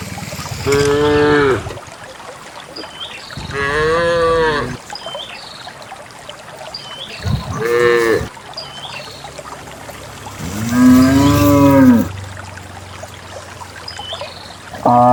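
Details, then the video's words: Dozens of cows let out by their owner on a quiet morning, walking wet paths through wild grass toward a green valley; four or five long moos of varying pitch, a few seconds apart, with faint birdsong throughout. "Accompanying dozens of cows walking happily towards the green valley, the distinctive sound of cows"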